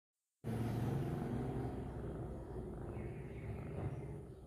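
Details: A domestic cat purring while kneading, making biscuits: a steady, deep, rumbling purr that starts abruptly and continues without a break, pulsing softly throughout.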